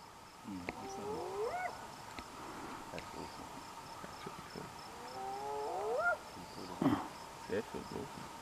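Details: Spotted hyena calling: two rising whooping calls with layered harmonics sliding upward, about four seconds apart, faint over a steady background hiss with a few clicks.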